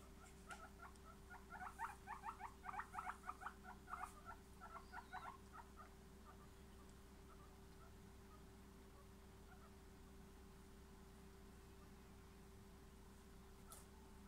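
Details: Guinea pigs making a rapid burst of short, high squeaks packed closely together for about four seconds, then trailing off into scattered faint notes, with a constant electrical hum and quiet background noise.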